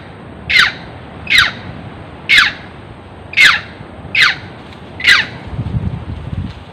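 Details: Monkey screaming while being chased by farmers: six harsh, sharp, downward-sliding cries spaced about a second apart, each brief and loud, over low rumbling background noise.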